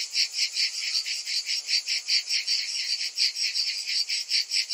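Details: Cicadas calling in summer: a piercing, high-pitched buzz that pulses rhythmically about two and a half times per second, loud and even throughout.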